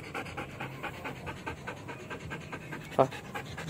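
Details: Belgian Malinois dog panting in training, even rapid breathy bursts at about 83 per minute, broken once by a brief sharp sound near the end.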